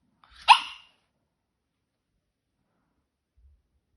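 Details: French Bulldog named Elton, a small dog, gives a single short bark with a sharp onset that fades within half a second, followed by silence.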